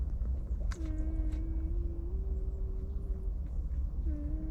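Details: Puppies of a stray dog sleep against their guarding mother. A long, low, even whine runs over a second, with shorter whimpers before and after, set against steady low background rumble and a few faint clicks.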